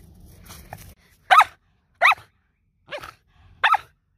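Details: Shetland Sheepdog barking during exercise, urged to 'speak': four sharp, bright barks spaced roughly a second apart, the third softer, after a brief faint voice and low rumble at the start.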